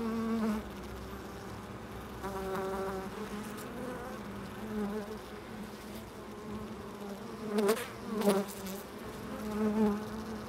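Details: Bees at a loading dock, their droning wingbeat hum rising and fading as individuals fly past the microphone, with several buzzy passes across ten seconds and sharp knocks and clatter from the dock between them.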